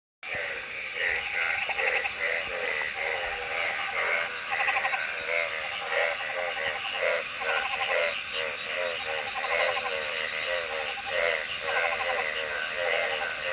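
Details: Frogs calling together: overlapping trains of rapid pulsed croaks rising and falling in dense waves, with a steady high droning tone running underneath throughout.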